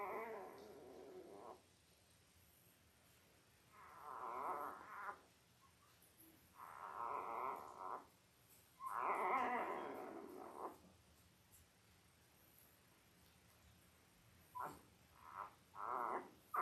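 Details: Whimpering from five-day-old Labrador Retriever puppies, part of a litter of five males and three females born October 15, 2023, to Belle: several soft, separate whiny bursts spaced a few seconds apart, with faint music underneath.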